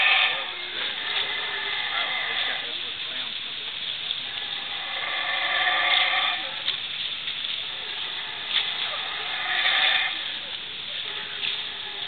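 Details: Howler monkey in the Belizean tropical forest, calling from close overhead: drawn-out, rough, harmonic howls that swell and fade over several seconds, rising in waves around six and ten seconds, with soft forest hiss beneath.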